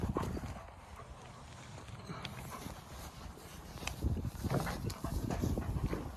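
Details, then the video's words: Two wolfdog puppies playing over a rope toy, arguing over whose it is: low rumbling growls in irregular bursts, rising to louder, rougher grumbles in the second half, with scuffling. "Wolfdog Growls & Weird Funny Strange Noises These Two Puppies Make"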